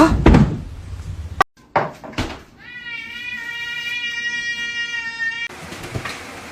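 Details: A domestic cat gives one long, drawn-out meow of about three seconds. It holds a steady, flat, tonal pitch, with no rise or fall. Before it come sharp knocks, a door or cupboard sound and brief human speech.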